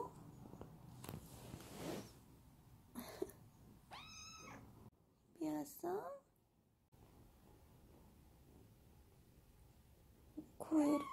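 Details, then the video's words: Munchkin kitten meows as its owner strokes it: several short, harmonic, bending meows in the middle, with a woman talking gently in Korean before and after, plus handling noises. "집사 손길에 애옹애옹거리는 먼치킨아기고양이"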